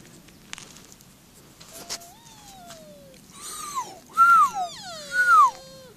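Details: Sika deer recorded very close. A thin, falling whine comes first, then three strong arched squeals, each rising and then dropping away; the last two are loudest. Quiet rustling underneath.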